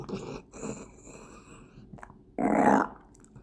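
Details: Gureum, a female Welsh Corgi born November 2015, burps after lapping sweet dog milk mixed with powdered medicine; soft throaty grunts come first, then one loud rasping belch of about half a second near the end, indoors.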